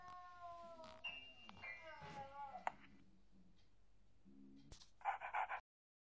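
A Beagle howls in long, wavering, falling tones while a person sings along.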